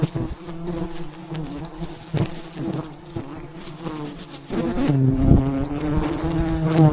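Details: Wild bees buzz around a giant mountain beehive during a dangerous honey harvest. A quieter hum with scattered knocks gives way midway to a louder, fuller buzzing drone that keeps building.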